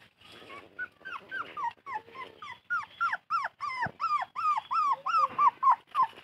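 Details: A thirsty puppy whimpers for its mother in quick, high, arching whines, about three each second.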